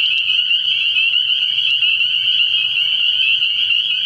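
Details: Spring peepers calling together at night from a frog pond early in the year, a thick wall of shrill, high peeps with a few sharper clicks standing out early on.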